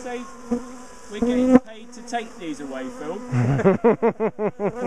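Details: Honeybee colony in a top bar hive, known for chasing its owners down the garden, being split and moved; a steady low buzzing hum fills the first seconds, then a voice talks over it in short rising and falling phrases.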